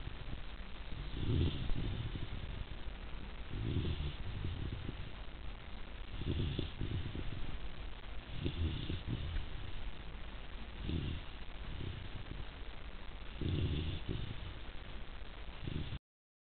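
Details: Nearly three-month-old Rhodesian Ridgeback puppy Zuri snoring away in sleep, a steady run of about seven deep, gravelly breaths, each roughly two and a half seconds apart, with nothing else heard.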